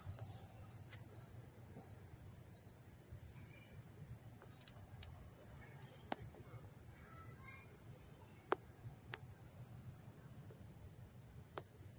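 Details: In Dobbs Ferry, New York, on August 1, 2014, crickets recorded up close keep up an unbroken very high shrill drone, with a lower beaded chirping line and a few faint clicks.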